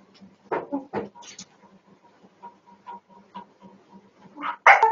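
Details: Dog stirred up by a cat jumping over a wall gives a couple of short barks, then quiet panting and small whimpers, ending in a loud strained bark-whine.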